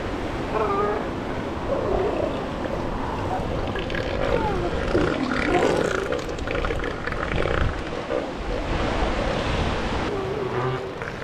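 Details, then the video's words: Hundreds of female and adolescent elephant seals, with no adult males, on the shore beside the Pacific Coast Highway give deep, guttural, belching calls over the steady roar of surf. The belches are possibly a form of communication. "Elephant Seals sound like they are ripping ass"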